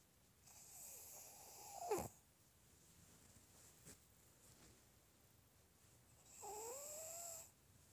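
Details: Shih Tzu asleep, snoring: an airy hiss rises into a whistled wheeze ending in a sharp click. After a quiet pause, a second breath follows with a nasal whistle bending upward over a soft hiss.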